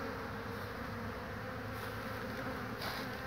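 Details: Buzz of honey bees in front of the hives, 22 March 2019, as pollen-carrying workers return: a constant swarm-like hum, with a low droning layer underneath and a short soft rustle near the end.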